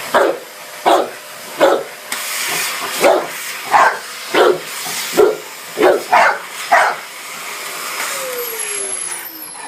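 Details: Barking at the hoover, a Dogue de Bordeaux lets out a quick volley of about a dozen deep woofs, then falls silent while the vacuum keeps droning and a rising whine appears.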